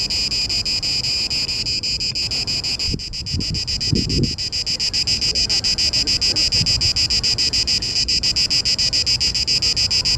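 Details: A male Cicada orni calls in Parque Eduardo VII in mating season to attract females, producing a loud, grating series of rapid regular pulses with a high buzzy tone, briefly joined by low thumps and rustling near the middle.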